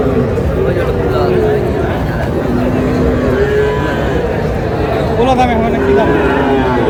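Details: Friesian and crossbred bull calves at Raniganj cattle market in Dinajpur, Bangladesh, 6 August; low, drawn-out moos rise briefly through dense crowd chatter and haggling voices, with passing vehicle noise underneath.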